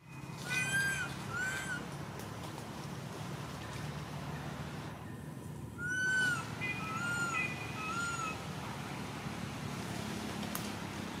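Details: Baby monkey crying non stop while its mother does not care for it: shrill, arching wails with rich overtones, a pair early on, then a louder run of three or four cries after a short lull, over steady low hum.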